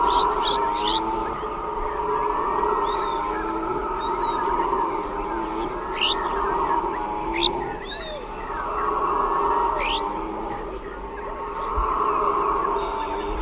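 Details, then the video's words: Howler monkeys in a group keep up a steady, roaring drone that rises and eases in broad surges, while birds add scattered sharp chirps and whistles over the top. "Howler Monkeys - Sound Effect"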